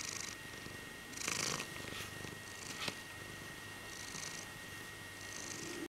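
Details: A male Birman cat purrs contentedly during a cuddle, flexing his paws in turn. He gives a continuous low rumble, swelling with breathy in-and-out strokes roughly every one and a half seconds, over a quiet indoor hum.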